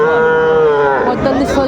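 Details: Sahiwal bull calves at the Raniganj cattle market in Dinajpur, Bangladesh, on 16 May 2024: a single sustained harmonic moo of about one second, steady then slightly falling, then fading into crowd chatter and men's voices bargaining.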